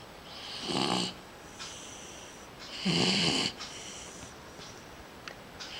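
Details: Sleeping dog snoring: two loud, rasping breaths about two seconds apart, each a broad, noisy burst lasting under a second, with softer breathing between in a quiet indoor setting.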